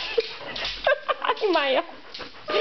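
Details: Maya, a vocal pet dog, whines as she is asked about going out for a walk in summertime. Short wavering, rising and falling whines, mixed with a person's voice talking to her indoors.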